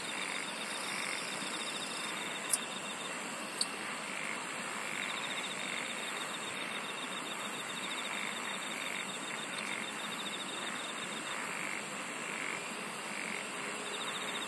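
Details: Insects singing in a dense chorus: steady high shrill bands with pulsed chirp trains layered throughout. Broad hiss fills the lower range, and two sharp clicks stand out near the start.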